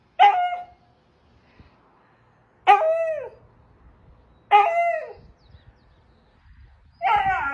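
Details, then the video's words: A husky barred from entering the house protests with four loud, short howls spaced about two seconds apart, each starting high and sliding down, separated by near silence. "Husky Throws a Temper Tantrum When Barred From Entering House"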